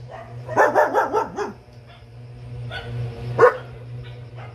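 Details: Gabbar, a double-coated German Shepherd puppy four months old, lets out a rapid run of wavering, yelping barks, then pauses before one more loud, sharp bark, all over a constant low hum.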